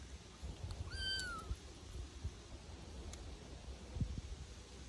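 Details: A litter of Bengal kittens at play in a back garden while being introduced to new noises, textures and smells; a single high, arching meow about one second in, then scattered soft clicks and taps over low background rumble.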